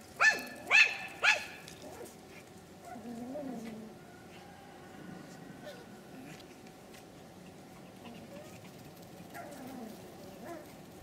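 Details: Pomeranian puppies aged three months at a Kyiv kennel give three sharp, high yaps in quick succession at the start, followed by long stretches of faint, low whimpering murmurs in a quiet room.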